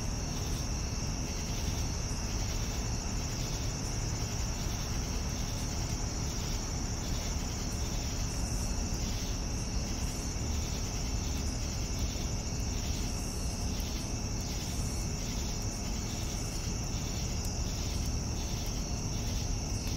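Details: Crickets chirping in the evening, a continuous shrill drone layered with regular bursts of chirping pulses about twice per second, with a heavy low rumble underneath throughout.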